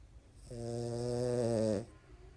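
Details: French Bulldog named Conny snoring while sleeping soundly with eyes rolled back; one long, rough, droning snore with a steady buzzing tone lasting about a second and a half, in a quiet room.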